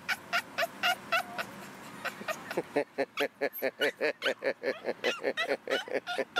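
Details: Pet Boston Terrier Missy 'talking' for her ball, giving a rapid, steady string of short, throaty, yodel-like bursts, about two per second, rising into a busier stutter of pulses midway, with no other sounds.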